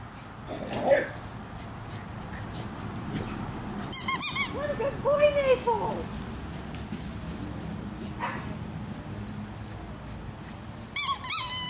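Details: Naples, a foster pup once terrified after rescue from hoarding, yips excitedly during ball play: high bending yelps mid-clip, a short squeaky burst near the end, and a person's voice in the room.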